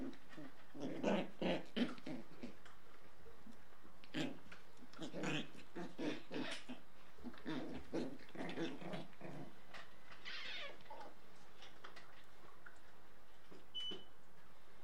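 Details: A 38-day-old Shiba Inu puppy, dancing around while playing with a small toy, gives small, rough growls and yips in quick bursts.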